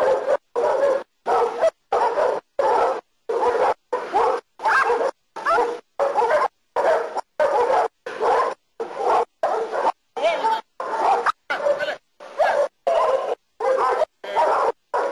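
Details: Nero, a German Shepherd doing protection training in Costa Rica, barks continuously: over twenty rough, forceful barks in quick succession, fairly evenly spaced at under a second apart, with no other clear sounds.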